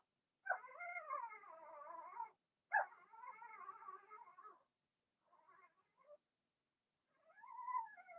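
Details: Litter of six Blenheim Cavalier King Charles Spaniel puppies indoors; two loud sustained wavering whines back to back, followed by fainter broken whimpers and a final rising-falling cry.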